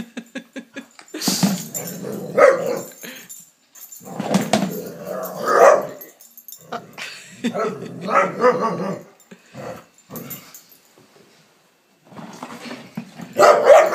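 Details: Palestinian street dog living in Canada, playing excitedly with a lamp shade, produces repeated snarling growls and sharp barks in uneven bursts, with brief quiet gaps and a loud final outburst.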